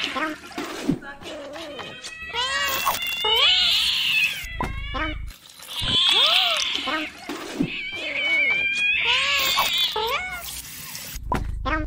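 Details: Angry cats yowling: drawn-out, strained caterwauls rise and fall in three long bouts, broken by shorter wavering meows, with background music and human voices throughout.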